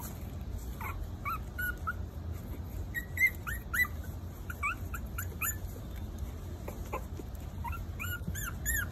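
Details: Maltese puppies at four weeks of age squeaking and whining in short high arched cries, several overlapping voices, steady low hum underneath.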